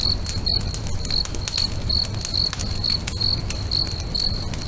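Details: Crickets by a lake at sunset give shrill chirps about twice a second in a loose rhythm, while a nearby bonfire crackles and snaps over a deep background hum.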